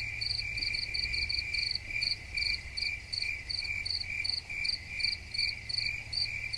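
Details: A cricket chorus gives continuous high ringing with sharp chirp bursts on top, pulsing about two to three times per second, with a soft low rumble underneath.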